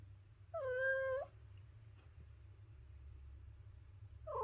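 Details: One brief, even meow from a domestic cat, followed by a long quiet stretch with low hum, then the start of a second meow right at the end.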